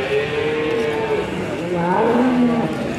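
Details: Large bull at the Ambarketawang cattle market, said to weigh over 900 kg, nearly a ton, giving drawn-out lowing moos that dip in pitch, masked by steady crowd and market noise.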